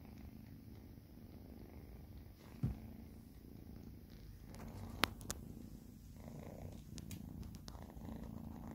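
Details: Two domestic cats purring while being fed indoors, a soft, steady low rumble running throughout, broken by a few sharp clicks and taps.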